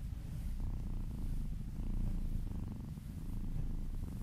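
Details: Close, loud purr of a kitten being massaged and purring in a person's ear: deep continuous rumble with rhythmic pulsing swells, roughly every half second to second, in a quiet indoor setting.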